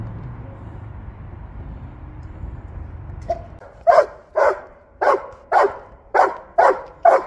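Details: Belgian Malinois at work, first a low engine-like hum for about three seconds, then a clean series of seven loud, clipped barks at an even pace of roughly two per second.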